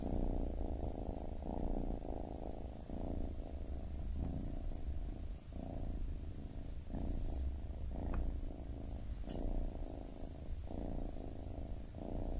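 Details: A baby kitten purrs steadily, its deep vibrating drone rising and falling with each inhale and exhale in a slow rhythm, and a couple of brief faint ticks.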